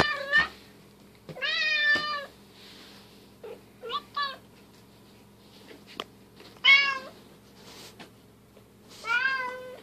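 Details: Bengal cats at play indoors, silver kitten Keylala with sister Luna and mother Xia; several loud harmonic meows, some drawn out and falling, others short and chirpy, with scattered thuds and a brief voice in between.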